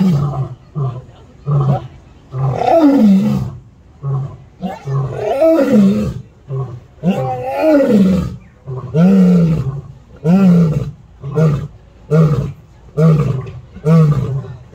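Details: Zoo lion at San Diego delivering a long roaring bout: several drawn-out, rising-and-falling moans followed by a run of shorter, booming grunts, about once per second, with faint human voices.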